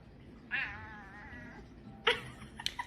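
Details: Domestic cat giving one drawn-out, harmonic-rich meow lasting about a second, steady then gently falling, followed by a few sharp knocks and clicks against a low background hum.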